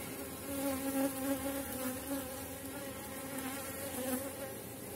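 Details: Bees from a strong August colony buzzing over comb with honey, bee bread and brood; a clear droning hum with tonal bands, swelling as individual bees fly close, in pulses of about three per second.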